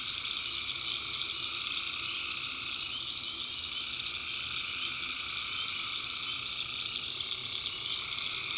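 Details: Nighttime swamp chorus of tree frogs in the backwoods of North Carolina, recorded on site. Overlapping callers form a constant high buzzing wall of sound with a lower trilling layer running throughout.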